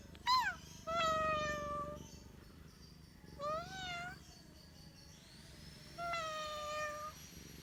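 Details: Domestic cat meowing three times, each a clear tonal cry about a second long, the middle one rising then dipping, over a faint steady background hum.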